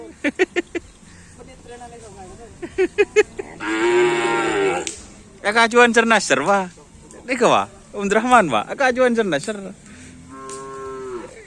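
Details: Cattle at karapan sapi bull racing practice on the Asemanis field, Pamekasan: several harmonic bellows with swooping rising and falling pitch, each one to two seconds long, after sharp clicking bursts, with background noise.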